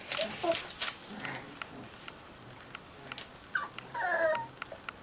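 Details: Cocker Spaniel puppies relaxing indoors with a new friend, giving short high whimpering squeaks with faint harmonics, with a longer wavering whine near the end, among soft rustles and clicks in a small room.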